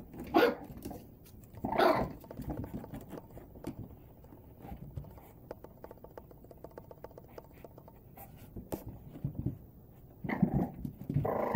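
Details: Male and female Boston Terrier puppies playing indoors in a small room; short sharp barks burst out near the start, around two seconds and again toward the end, between soft patter and thumps of play.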